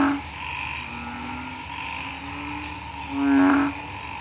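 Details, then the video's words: Narrow-mouthed toads and small frogs calling in a chorus at night after rain in a hospital garden with planted trees and grassy cover; low droning croaks overlap, with one louder nasal, buzzy call near the end over a steady high insect hum. "เสียงอึ่งอ่าง เขียด ร้องระงม"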